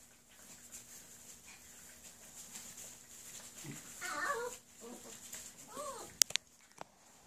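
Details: Nine Whippet puppies feeding and playing indoors; brief high, wavering whimpers and squeaks rise midway through, followed by a couple of sharp clicks or knocks, over a faint steady hum in a quiet room.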